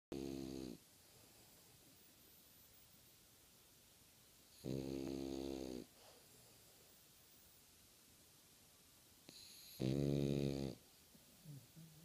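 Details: French Bulldog snoring while sleeping with its eyes open: three loud, low, rasping snore bursts separated by several seconds of quiet breathing, indoors.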